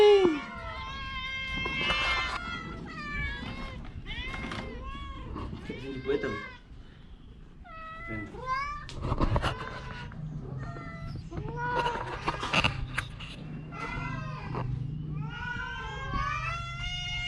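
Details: An orange cat, sick with a cough and cold, gives a string of drawn-out, arching meows with rising and falling pitch every second or two, while people talk nearby in Indonesian or Javanese and a low background hum runs underneath.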